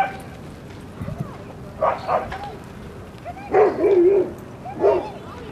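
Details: Rosy and Rocky, dogs at play in Seal Point Dog Park on the western side of San Francisco Bay, January 31, 2015; three bursts of short, arching yelps and whines, the longest wavering call near the middle, over a low outdoor murmur.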